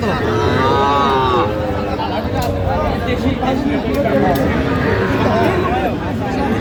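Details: Sahiwal bull at a Sylhet cattle market, Bangladesh, 10 January 2026. A single rich lowing moo of about a second near the start, then steady crowd talk and haggling voices fill the rest.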